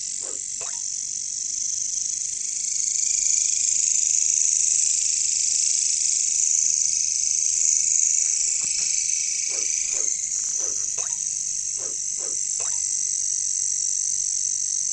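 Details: Katydids (bush crickets, caricangkas) in a jungle: an intense, continuous high buzzing that swells in the middle, with a series of brief croaking pulses after the halfway point.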